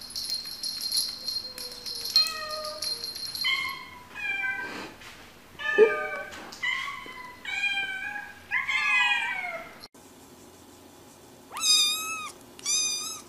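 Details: Cats and kittens meowing in a compilation, several voices overlapping: harmonic meows of varying pitch, some short and falling, others drawn out, with a high squeaky kitten cry near the end and faint background hiss.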